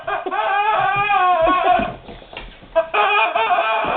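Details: Guard dog indoors whimpering at a squeaky rubber ducky toy it does not know what to make of; high, tonal whines with bending pitch, sustained and repeated, with a short quieter gap midway.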